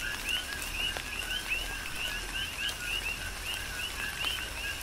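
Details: Chorus of coqui frogs on Hawaii's Big Island in tropical rain, with clear rising two-part chirps repeated several times per second by overlapping frogs, backed by soft rain hiss and occasional drops.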